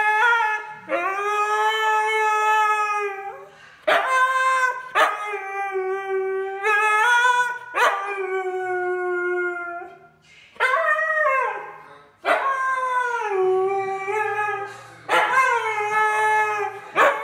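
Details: Loki, a male Siberian husky, gives long, wavering howls that slide up and down in pitch, singing along to rap music playing faintly underneath, a little tone deaf but giving it his all.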